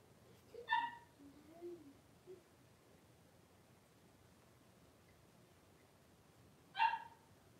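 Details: Indoor puppy pen holding five blenheim Cavalier King Charles Spaniel puppies born at New Year with their mother Paris; a sharp high yelp opens, soft low whimpers trail after it, then quiet, and a second sharp yelp arrives near the end.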